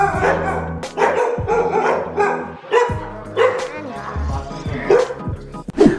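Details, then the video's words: Three insecure house dogs bark at a newcomer entering, out of excitement and alertness that turns to anxiety; rapid overlapping barks in quick runs, with music beneath. "so as you can see in the video the moment you enter the house these guys start barking now"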